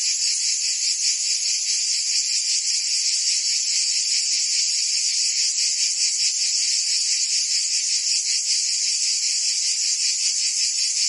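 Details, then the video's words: Chorus of cicadas on a Provence summer day in France, a continuous shrill electric buzz pulsing rapidly at an even level, filling the whole stretch without pause. "Cicadas singing in France (Provence)"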